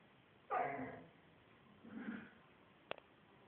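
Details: Shamsa, a female pet dog described as talking, gives a loud harmonic moaning yowl lasting half a second, then a softer, lower grumble a second later, followed by two sharp clicks in a small indoor room.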